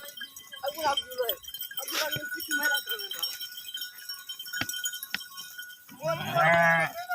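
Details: A flock of sheep in the UK bleating, with wavering, nasal cries overlapping against a background of steady ringing tones.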